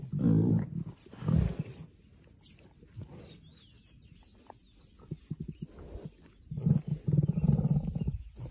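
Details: Lion roaring in two short, deep, gravelly bursts at the start, a quiet stretch with faint rustling, then a longer rumbling low roar building near the end.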